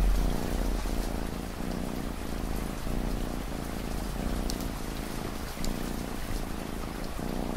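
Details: Domestic cat purring under a constant wash of rain: a low, throbbing rumble that swells and eases in a steady cycle of roughly two breaths a second, with patter and drops over the top.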